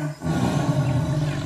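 A jaguar gives a deep, rumbling roar that swells quickly and holds low and steady.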